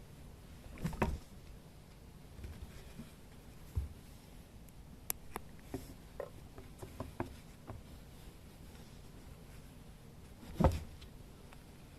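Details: A quiet small room holds soft pattering, scattered light taps and a couple of louder bumps, with no animal calls.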